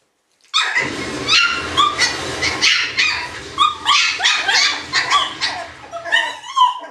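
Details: Shiba Inu puppies yipping and squealing together, a dense overlapping chorus of high, harmonic yelps and whines that builds over several seconds with loud bursts nearly every half second.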